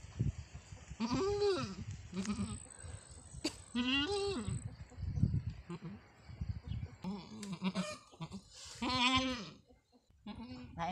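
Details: Goat on a farm during the birth of a kid, the mother on her fourth kidding; a series of loud, wavering, nasal bleats rising and falling in pitch, about five over eleven seconds, separated by short quiet gaps.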